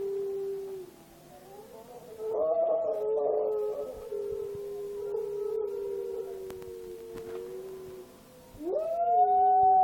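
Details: A male Miniature Schnauzer howls indoors while a movie plays. His long, wavering, tonal howls dip briefly, then sustain and slide gently downward. A sharp rising howl begins near the end.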